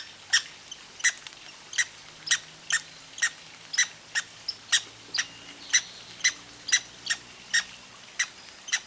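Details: Little red squirrel hiccuping after greedy, hasty seed eating: a regular run of brief, sharp squeaky clicks, about two per second, piercing and high, with a faint low droning sound underneath.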